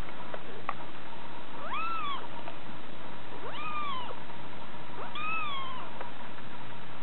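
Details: A 6-week-old female Scottish Fold munchkin kitten gives three high, thin meows, each rising then sliding down, spaced a couple of seconds apart.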